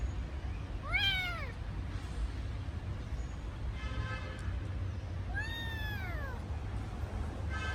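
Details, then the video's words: Kitten calling for its absent mother gives two meows, a short arched one then a longer falling one, with a faint buzzy sound between and low background hum. "Adorable kitten sound cry miss mother"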